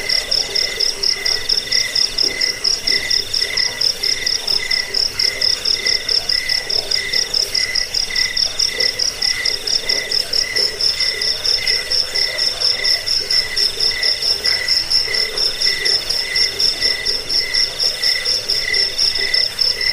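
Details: Cricket chorus used for driving away rats, bedtime listening and as a tutor for cage birds: shrill pulsed chirps repeating about twice per second, continuous and even throughout, with stacked ringing tones.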